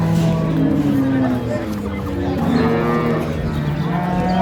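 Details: Dairy cows and calves of an improved breed at Ambari cattle market, recorded 2/3/25: low drawn-out mooing under loud market chatter, bargaining voices and background music.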